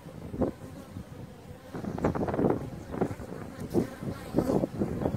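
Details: Maltese honey bee subspecies Apis mellifera ruttneri, endemic to Malta and kept by beekeepers: close, uneven buzzing that rises and falls in quick surges through the short stretch, with some low wind rumble.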